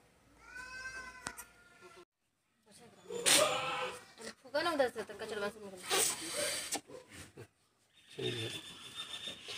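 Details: Newborn goat kid on a goat farm being saved after birth; a thin, wavering bleat with clear harmonics opens the clip, followed by a man talking and handling noises.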